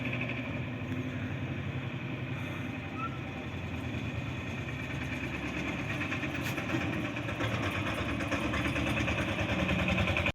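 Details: Idling engine drones steadily throughout, with a rough mechanical rattle and faint background speech but no animal calls.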